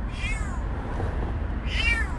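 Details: Stray kitten gives two thin, high-pitched meows, each about half a second long and bending downward, separated by a pause of about a second, over a low background rumble.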